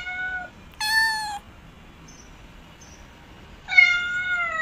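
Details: Domestic cat giving three meows of varied length. A short steady one opens, then a louder, higher one, then a longer drawn-out meow at the end. Quiet pauses fall between them, with faint high chirps in the background.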